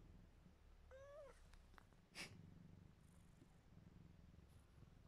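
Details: Mićo, a very sleepy and tolerant house cat, purrs as a soft low drone under a brief, faint chirping meow that rises and wavers. A sharp click-like noise follows shortly after.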